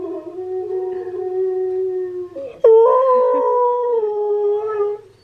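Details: Steel the husky sings while Key, another husky, reacts with head tilts. A long, steady, low howl breaks off briefly, then a louder, higher howl slides gradually downward and fades out near the end.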